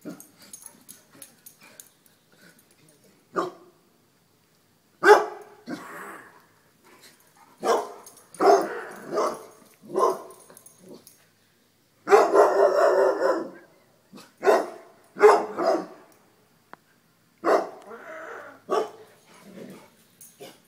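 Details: Dogs running from a deer mount, barking in irregular bursts, some barks clustered closely and others spaced by pauses, broadband and harsh, with a possible human voice mixed in.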